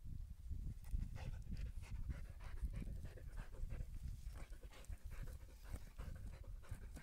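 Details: Steady, heavy panting from a Siberian Husky during a calm walk, dense low rasping breaths running continuously with no pauses.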